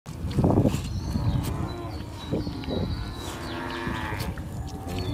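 Deep, drawn-out lowing from a water buffalo rumbles through the recording, rough and nasal in tone. Faint outdoor background noise sits beneath the calls.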